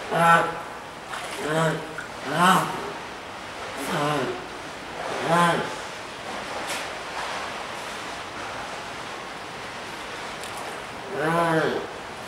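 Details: A young spotted seal pup, unable to haul out onto land to reach its mother beside her, gives short, harmonic wailing calls over a steady wash of surf.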